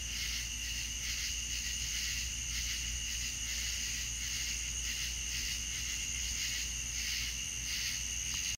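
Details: Deep South night sounds of crickets: layered shrill trilling, pulsing softly in waves, a continuous insect chorus with a faint low drone and no other clear sounds.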